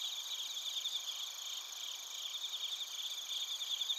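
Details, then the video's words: Recorded in Narita, Chiba, Japan, on a TASCAM Portacapture X8, bell crickets and crickets trill together: high, even, shimmering chirps in overlapping bands, a constant insect wash with no other clear sounds. "スズムシとコオロギの鳴き声 - Chirping of crickets"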